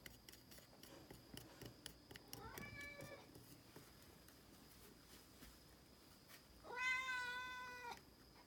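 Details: Norwegian Forest Cat indoors while taking medicine, giving a short, faint meow followed a few seconds later by a longer, louder, harmonic-rich drawn-out meow; soft clicks and room noise throughout.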